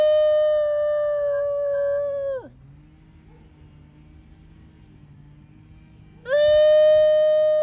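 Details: New Guinea singing dog singing: a sustained pure-toned howl that dips steeply downward, a quiet pause of nearly four seconds, then a fresh howl starting abruptly and holding level, with a low background hum.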